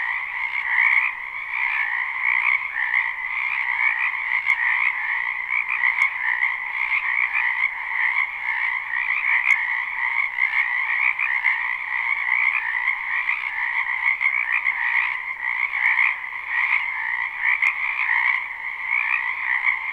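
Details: Live spring recording of a wetland frog chorus: unbroken overlapping croaks forming a steady rattling drone at two pitches for twenty seconds, with occasional soft ticks and slight rises and falls in volume.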